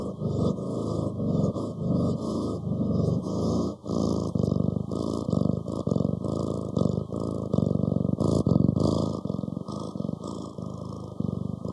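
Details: Low, rumbling cat purr with quick throbbing pulses, swelling and fading rhythmically in breath-like cycles throughout.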